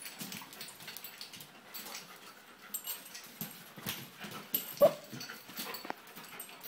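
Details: Mongsoon and Drake, two dogs romping indoors at a home dog-sitter's in Jerusalem; soft breathy huffs and panting in irregular bursts, a faint whimper-like note, and a sharp knock near the end.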